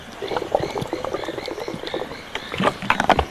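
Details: At dusk by a pan in the Rietspruit Game Reserve, South African Lowveld, grass frogs start their night song: a dense chorus of short clicking croaks and pips from many overlapping callers.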